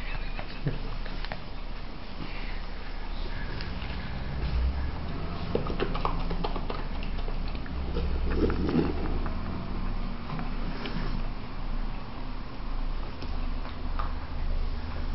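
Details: A chocolate-brown Labrador puppy and a golden Labrador eat spaghetti by a table, making noisy wet smacking, slurping and chewing sounds, with people talking nearby.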